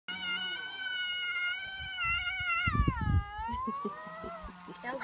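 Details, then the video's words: Coyote howling at Aspen Valley Wildlife Sanctuary: a long, steady harmonic tone that dips sharply midway, then slowly climbs again, with low murmuring voices and rustling beneath it. "Coyote Howl"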